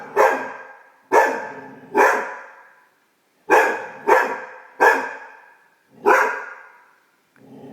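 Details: Female Great Dane puppy barking at her own reflection as she discovers her voice; loud, abrupt barks in uneven bursts of two or three, separated by short pauses, with a faint low whine at the end.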